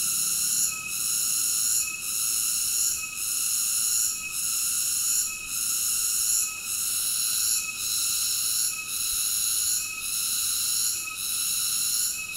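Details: Cicada singing: a steady, shrill, tonal drone with stacked high overtones, dipping briefly about once every second in a regular pulsing rhythm; no other sounds.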